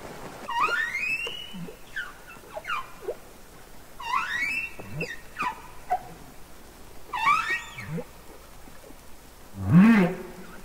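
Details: Underwater song of a humpback whale, Capitol Records ST-620: a series of swooping cries rising and falling, some arching high, others dropping low, repeated every couple of seconds and ending with a louder low groan.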